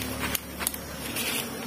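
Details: Honey bees from an underground nest being harvested on Biliran Island: a steady, droning hum with layered low tones and a bright hiss above, broken by a few short clicks and knocks.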